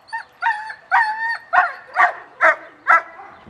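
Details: German Shepherd at the start of a social training class, reacting with excitement: a rhythmic run of seven harmonic barks, some drawn out and whining, about two per second.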